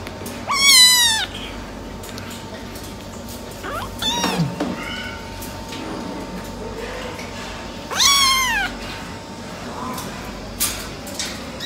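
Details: Silver tabby American Shorthair kittens, brothers, meowing: three loud, high, wavering meows near the start, the middle and the end, with a few fainter cries between and a steady faint hum throughout.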